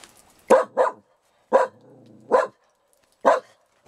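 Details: Dog barking: five sharp, loud barks, a quick pair followed by three single barks spaced almost a second apart, against a quiet, clean background.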